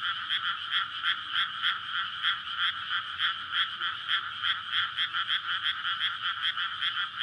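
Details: Frogs in full chorus at night in May, flooded paddy before rice planting, males calling to attract mates for egg laying; evenly spaced rapid croaks about three per second over a dense buzzing background of many callers.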